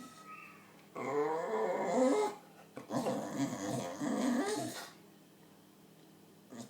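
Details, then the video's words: Pet dog indoors making weird vocal noises when pointed at: two drawn-out bursts of growly, whining groans, the second longer and rougher, between quiet pauses. "Dog makes hilarious noises"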